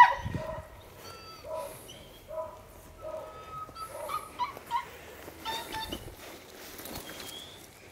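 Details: Two Dogo Canario dogs at home in their backyard. Short, high whimpering yips and whines come in quick repeated bursts, roughly one a second, then fade into rustling and scattered faint noises.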